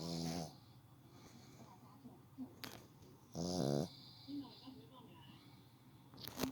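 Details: A pet dog, nicknamed 'little brother', snoring while asleep: low soft rasping breaths, then one louder, longer nasal snore with a buzzy, harmonic tone midway. Faint steady high-pitched hum in the background.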